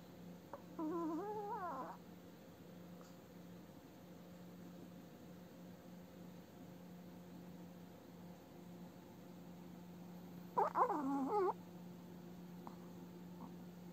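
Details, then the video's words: Old Chihuahua dog asleep indoors, snoring often during an active dream: two separate whistling, wavering nasal tones roughly ten seconds apart, each about a second long, with a faint steady hum between them. "Чихуахуа старушка Юти храпит во сне"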